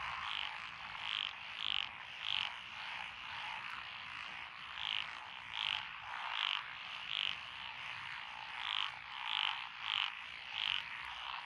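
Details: Mixed frogs calling in lotus paddies, Echizen, Fukui Prefecture, Japan, 12 June 2021: loud, short, bright croaks repeat about once every second over a softer continuous chorus of distant callers.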